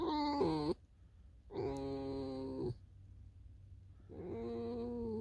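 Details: Alisa the fox, kept as a pet, outdoors in snowfall: three separate whining calls, the first with a sharp pitch dip, the others steadier and harmonic-rich, with short silences between.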